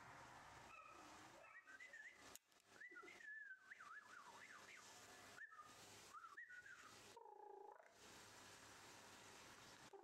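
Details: A four-week-old sable female Rough Collie puppy whimpers and whines in thin, high, wavering cries that rise and fall in quick slides, with short gaps between bursts and a low hum underneath.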